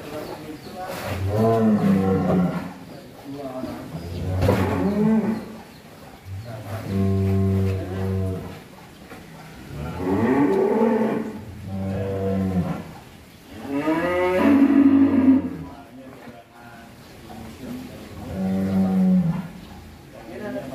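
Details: Energetic one-ton bull, rarely out of its pen and raging on release, bellows over and over: deep, harmonic moos of about two seconds each, roughly every three seconds, some rising and straining, with men's voices in the background.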